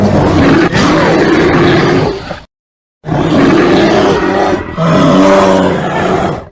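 A bear gives deep, rumbling roars in two long bursts separated by a brief pause.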